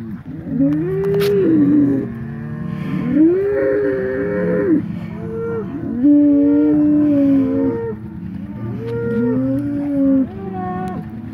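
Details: Polled Hereford bull of the Secret Weapon bloodline, fighting another bull while being mixed back together after the breeding season; a run of moaning, wavering bellows repeated roughly every two to three seconds.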